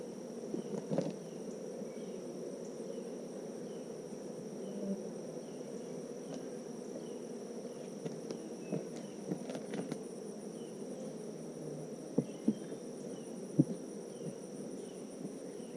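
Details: Abundant honeybees humming while a hive is inspected on a Tennessee farm: a continuous low, dense buzz with scattered light taps and sharper clicks.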